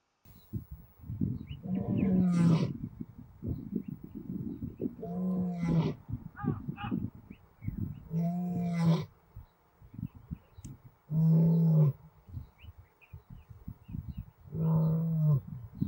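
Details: An older lioness of a small pride on a private reserve near Kruger National Park roars in repeated deep, moaning grunts every few seconds. The calling reunited her with her daughter, and was most likely meant to attract males as she is probably coming into estrus.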